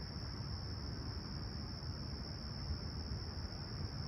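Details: Brief stretch of crickets chirping on a peaceful July 2020 summer morning at Humber Bay Shores, Toronto, clear and 20ºC: a sustained high-pitched ringing trill against loud low rumbling noise.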